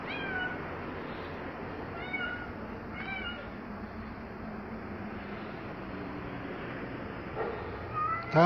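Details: Tabboush, a street cat stirring up trouble with the neighbourhood cats, gives three short meows about a second apart early on. A steady outdoor hum follows, then a louder meow at the very end.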